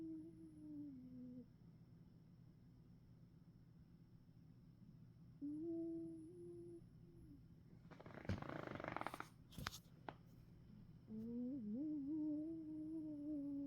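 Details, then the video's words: An old dog snoring indoors: drawn-out, whistling nasal tones held at a steady pitch for a second or more per breath, separated by quiet pauses, with a brief rustling burst in the middle. "Snoring Dog"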